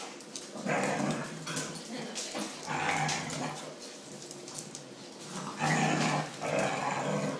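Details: Indoor household of dogs, a Dalmatian with her 13 pups, Jack Russell Terriers with 3 pups and a two-year-old English Bull Terrier, twenty in all: rough, growling bursts in three loud spells, with a woman's voice talking softly between.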